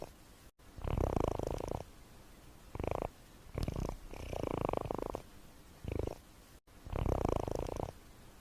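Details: Domestic cat snoring: low, pulsing rumbles in long and short bursts, with the long ones about a second each and quiet gaps between breaths, on a steady soft background hiss.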